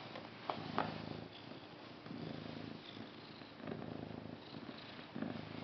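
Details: Low vibrating purr from a pet cat, continuous and rhythmic, its rumble swelling and easing with each breath, plus a couple of soft clicks near the start.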